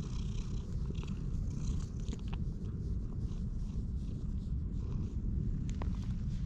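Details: Orange tabby stray cat met in a park, purring loudly while being stroked, recorded on a GoPro HERO8: a steady, deep, rapidly pulsing rumble running throughout, with faint rustling of fur and handling noises above it.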